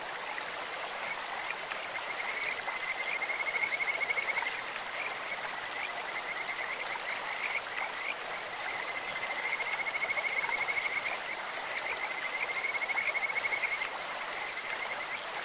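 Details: Kajika frogs calling in a clear stream, voices as sweet as a bird's or insect's: high, whistled pulsed trills lasting one to two seconds, heard three times, over a steady rush of flowing water.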